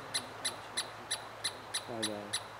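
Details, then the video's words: Pacific Northwest Douglas squirrel (Chickaree, Pine Squirrel) giving a steady series of eight short, piercing chips roughly every third of a second, with a brief low humming sound partway through. "Douglas' Squirrel"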